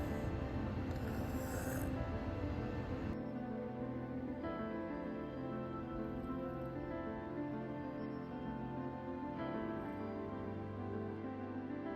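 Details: Soft, steady ambient instrumental music with layered sustained tones throughout, and no animal sound.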